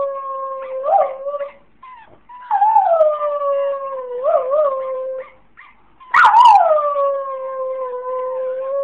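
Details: A female Jack Russell Terrier "sings" in long, wavering howls, three drawn-out bouts with brief pauses, when her toy is played but withheld from her.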